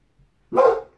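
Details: A single abrupt, full-throated bark from Boss, the white Boxer, guarding, preceded by a faint small sound, then silence.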